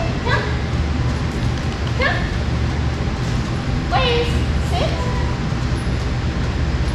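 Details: Blaze, a six-month-old Boston Terrier puppy in obedience training in Atlanta, Georgia, gives about four short, high whines over seven seconds. Each whine drops in pitch. A steady low hum runs underneath.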